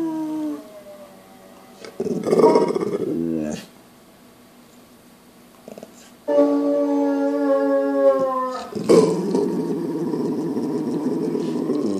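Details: A pit bull howling in long, wavering tones that slide down and up, with harmonic stacks, alternating with rougher growly yowls and brief pauses.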